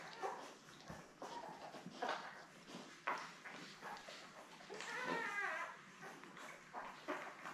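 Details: Newborn Labrador Retriever puppies, a litter of seven born May 24, lie with their mother Belle indoors, seen on a June 3 puppy cam; scattered squeaky whines rise into a longer wavering whimper midway, over rustling bedding and faint voices.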